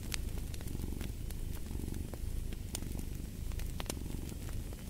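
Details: Deep, even rumble of a purring cat with gentle breath-timed pulses, accompanied by bright clicks and pops of a burning fireplace.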